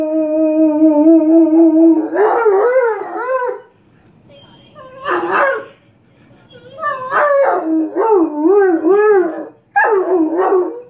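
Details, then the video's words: Irish Wolfhound singing in long harmonic howls: a steady held note for about two seconds, then wavering, rising-and-falling howled phrases in several bursts with short silent gaps between them. "the singing irish wolfhound"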